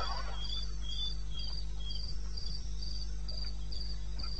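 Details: Cricket song from the eastern Botswana wild, 21 May 2016 at 02:30 AM: evenly spaced shrill chirps around three per second, a softer lower chirp interleaved, and a continuous low droning hum underneath.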